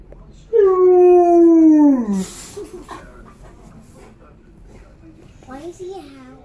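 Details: Tonka, an Alaskan Malamute kept as a pet, gives one long loud howl sliding gradually downward over about one and a half seconds, followed by a short rising whine; quieter rustling and faint voices in between.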